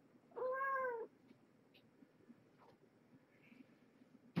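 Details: Domestic cat Marge, a rescued stray mother with five kittens, indoors at evening feeding time; one clear arched harmonic meow lasting under a second, then quiet room noise and a sharp knock at the end.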